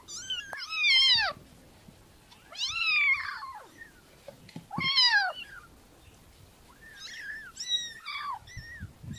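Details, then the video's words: Shrill, wavering kitten meows in irregular bursts, several stretched and rough-edged, with a softer cluster of short mews near the end over light background noise. "Cutie Pie Kitten Realistic Meowing Sounds"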